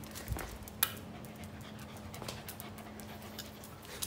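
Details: Female Pembroke Welsh Corgi running and playing hide and seek inside a house, panting in quick breathy puffs about twice a second, with a constant low hum and a sharp click early on.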